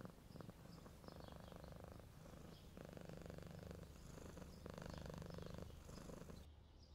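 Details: A red stray cat purrs contentedly after a meal while sunbathing in fine weather: deep, even rumble in alternating inhale and exhale phases of roughly one to two seconds, faint high bird twitters behind.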